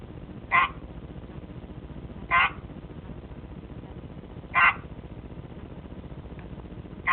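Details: An albino Pacman frog about 4 years old, a pet, gives short, harsh chirping croaks spaced about two seconds apart; the frog makes these calls out of sight of the camera.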